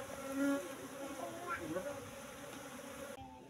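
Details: Colony of Apis cerana honey bees kept in a hive box, about three months after being moved from the forest, at harvest: continuous humming drone with faint higher overtones, then fading as the recording cuts away.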